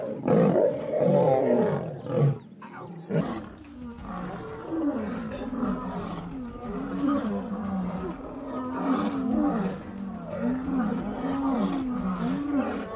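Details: Fight where female lions attack and kill a male lion while competing for a mate: a loud burst of snarling, then a run of low rumbling growls pulsing roughly every second.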